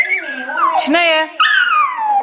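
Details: Muffin, a two-year-old male Yorkshire Terrier who loves to sing, howls in long wavering whines that slide downward in pitch. A short break in the middle is followed by another descending wail.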